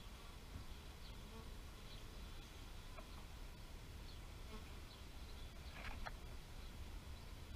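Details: Bees buzzing in a steady, low droning hum that holds throughout, with faint short high chirps scattered above and a brief brighter burst near the end.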